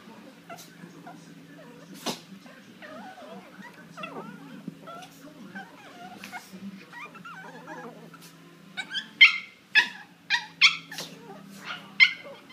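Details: Two dogs fighting, described as near-deadly. Low indistinct murmuring and a steady hum fill the first eight seconds, then a burst of sharp, high, yelping cries repeats about every half second toward the end.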